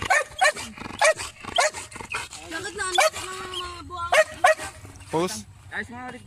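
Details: Urban search and rescue training of a Belgian Malinois on rubble with aggressive indications: rapid barks roughly every half second alongside human speech and whiny tonal sounds, loud and close.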